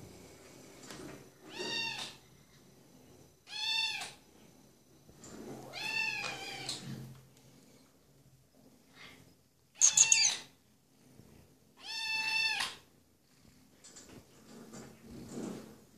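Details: A three-month-old female seal point Ragdoll kitten gives five bright, drawn-out meows about every two seconds, each rising then falling, while a soft human voice murmurs briefly in a quiet room.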